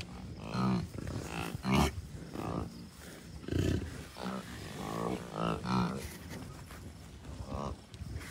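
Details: Bison herd with cows, a few bulls and dozens of calves, Rocky Mountain Arsenal Wildlife Refuge near Denver, Colorado, early June 2022; frequent overlapping deep, tonal grunts and bawls about every second, several animals calling, over wind rumble.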